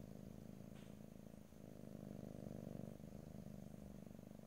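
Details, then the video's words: A domestic cat purrs continuously, a deep buzzing rumble that swells and fades with each breath, with one short faint rustle near the start. "ASMR Cat: Purring"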